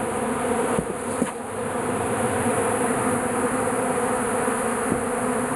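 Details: Bees crowd into a shed, attracted to melting beeswax where some honey remains; their massed buzzing forms an unbroken, even hum, with a few faint clicks and taps.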